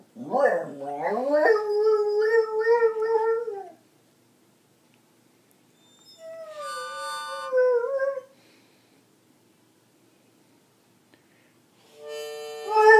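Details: Beagle named Skip howling along with a harmonica: wavering, harmonic-rich howls rising from a low start then holding a steady tone, three separate bouts with pauses, harmonica-like tonal notes mixed in.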